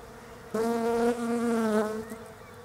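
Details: Close pass of a European honey bee foraging among Desert Ash blossoms in autumn down under: a loud, rich, low buzzing drone swells in abruptly, holds for about one and a half seconds with slight wavers in pitch, then fades.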